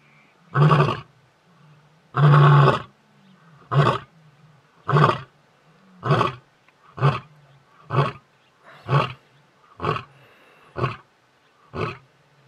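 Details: Male lion in Hwange National Park, Detema Dam area, 20 October 2019, roaring to keep the competition away: two long, deep moaning roars, then about ten shorter grunting roars spaced roughly one second apart, fading toward the end.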